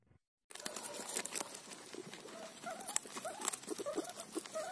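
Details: Guinea pig eating a cauliflower leaf: after a brief quiet start, soft short squeaks weave through steady crunchy chewing and leaf tearing, with scattered sharp clicks.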